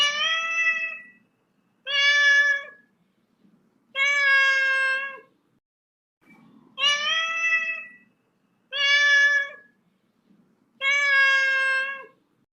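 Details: Kitten meowing six times at a steady pace, roughly one call every two seconds, each meow short, bright and harmonic with a slight falling end, quiet room between calls.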